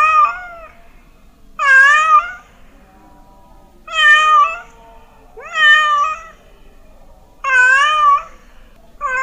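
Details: A domestic cat gives a steady series of drawn-out, wavering meows, about five in nine seconds, each loud and full-toned, with quiet gaps between. The sound is said to drive mice away.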